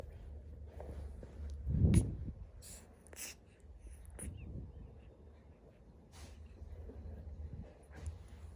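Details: Sleeping monkey, described as a baby, snoring: a soft low rasping snore swells near two seconds, with a fainter one later, over a steady low hum and a few brief clicks.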